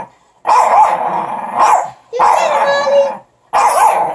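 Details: Russ and the other pups contest a stick, producing three drawn-out, gritty growls of about a second each, separated by short silences.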